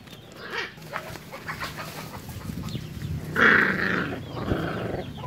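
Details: Puppies breastfeeding make short high squeaks early on, then a loud, strained whining yelp partway through, followed by softer whimpers over a low rumbling background.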